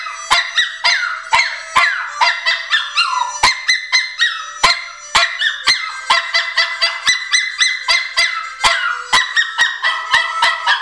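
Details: Patch, a pet Pomeranian, sings along whenever harmonica blues is played: repeated yelping, falling howls weave through the harmonica's chords and a rapid tapping beat.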